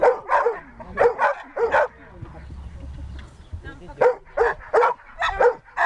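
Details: Siberian Husky during search and rescue training, barking in quick pairs and short runs of sharp, harmonic barks separated by brief pauses.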